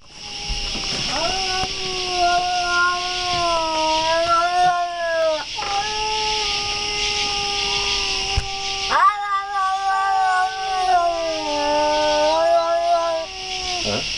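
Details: Cat giving long, drawn-out yowls, each held several seconds with a slowly wavering, slightly falling pitch, broken by brief pauses; a steady high hiss runs underneath throughout.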